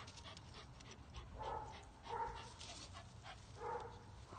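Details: Pit Bull x Fell Terrier cross named Creature, bred in the states by Gothic Angel Kennels, playing a tug game; three short yelping barks about a second apart over a low steady hum, with a man's voice praising the dog.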